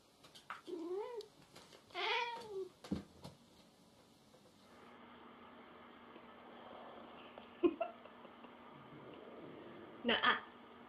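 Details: Pet cats in a funny jealous-cats compilation, indoors: several arching, harmonic meows in the first three seconds, then quieter room noise with a few sharp clicks and knocks.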